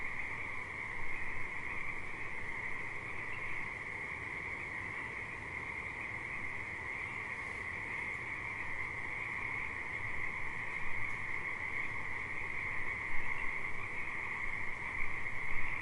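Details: Frogs calling at a river: a dense, unbroken chorus forming a steady high trilling drone, with a lower hum beneath and constant low rushing rumble, likely flowing water.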